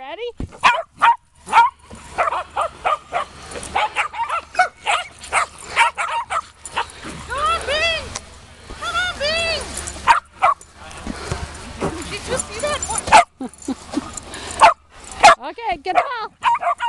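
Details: Shetland Sheepdogs at a 2015 reunion, playing with a ball. Sharp barks and yips come in quick bursts, and a stretch of high, arching whine-like calls rises midway. People talk throughout in the background.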